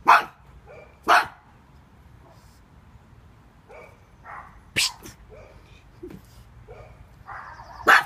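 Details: A small pug barks at intruders, a floatie, with sharp broadband barks spaced irregularly about a second or more apart, short pauses of quiet between them.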